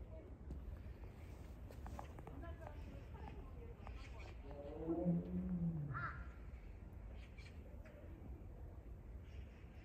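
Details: Siberian tiger Baekdu at Seoul Grand Park, 20 February 2022, crying often on a day kept apart from younger sibling Taebaek; one low, drawn-out harmonic moan falls in pitch midway, set against steady crowd chatter and murmur.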